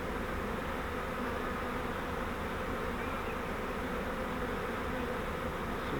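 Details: Honey bee swarm caught in a custom flowerpot-style fiber swarm trap and being moved into a Langstroth hive: a dense, steady, low buzzing hum that holds unbroken for the whole stretch, with no other sounds standing out.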